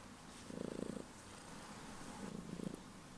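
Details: Heliana, a pet cat, purring loudly just before bedtime indoors: two short bursts of low, rapid rumbling pulses, each about half a second long, separated by a quiet gap.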